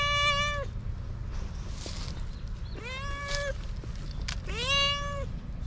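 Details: A once-abused stray cat learning to trust people again gives three long, clear meows, each held steady then falling slightly, spaced about two seconds apart, against a constant low outdoor hum.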